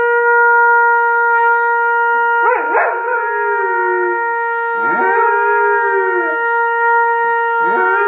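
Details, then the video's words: A Goldendoodle howls in wavering, rising and falling bursts over a trumpet's steady held note, as he does whenever the trumpet is played; owner unsure if it is harmony or agitation. "Dog howls along with trumpet player"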